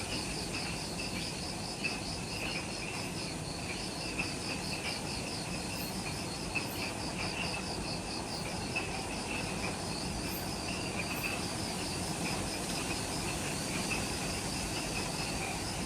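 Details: Twilight jungle insects just after sunset at the Mount Omoto trailhead on Ishigaki Island, Okinawa, Japan: continuous high whine layered with fast beaded trills at two pitches that repeat in bursts, plus steady low background noise.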